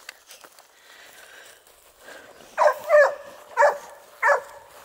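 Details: Dogue de Bordeaux at the Les Dogues de Plaine amateur breeding kennel, barking: after quiet rustling, four loud, deep barks come in quick succession over about two seconds.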